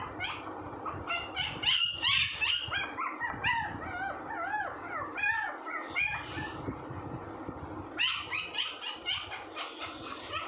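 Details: Puppy producing wavering, bending whines mixed with short shrill yips, a busy stretch early on, a calmer middle, then a fresh burst of squeaks near the end.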